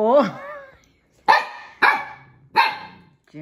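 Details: Siberian Husky puppy indoors barking at Juno, a fellow husky who took his toy: a woman's voice first, then three sharp, high barks at uneven gaps of roughly half a second to a second, in a small room.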